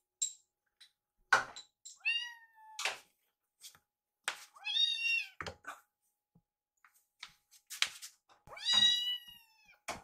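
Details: Indoors, rescued baby kittens Yuki and Piyo call while waiting to be fed. Several bright meows, some rising and bending, come amid knocks, thuds and clattering sounds.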